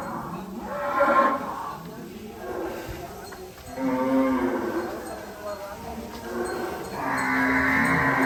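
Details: A caged cow in a big cattle barn with around a thousand animals gives short, muffled moos, separated by pauses, amid speech and barn background noise.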